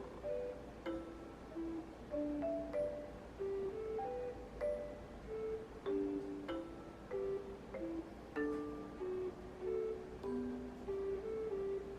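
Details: Gentle mallet-percussion melody, marimba- or glockenspiel-like notes in a soft repeating tune, with no animal sound heard.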